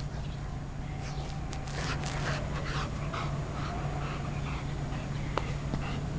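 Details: Pet Golden Retriever wildly excited by a new squeaky chicken toy: quick breathy pants and soft whimpering huffs, uneven in rhythm, with a constant low electrical hum underneath.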